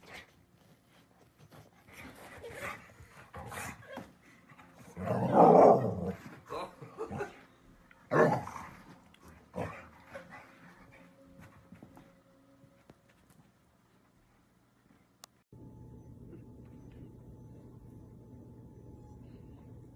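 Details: Miniature dachshund at play gives a couple of loud, rough growling barks between softer scattered noises, followed by a steady low electrical hum in the closing seconds.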